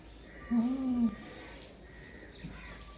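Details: Goat bleat: a single steady, slightly wavering nasal tone lasting about half a second, then quiet background with faint rustling.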